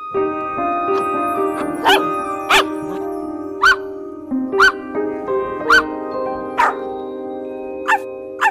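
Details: Dog barking in short, sharp bursts, about eight barks spaced irregularly over several seconds, heard over steady background music.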